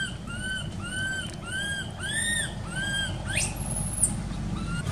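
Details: Neglected baby monkey at an archaeological park, crying: five bowed, tonal wails repeated roughly every half second, then a sudden steep upward shriek, with low-pitched background noise throughout.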